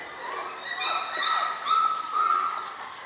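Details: Young German Shorthaired Pointer puppy, six weeks old, giving a few quick whimpers that blend into a sustained, tonal whine with several bright overtones.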